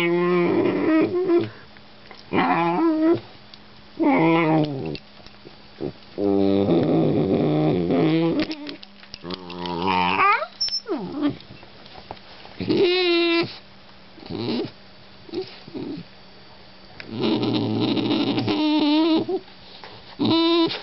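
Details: Very vocal German Shorthaired Pointer puppy in a long run of complaints: repeated wavering whines, yodelling moans and low growly grumbles, coming in bursts of one to two seconds with short pauses.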